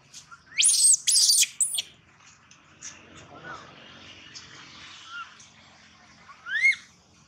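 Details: Baby monkey wailing loudly, two long shrill screams at the start, then a lull of quieter faint sounds before one final sharp rising squeal.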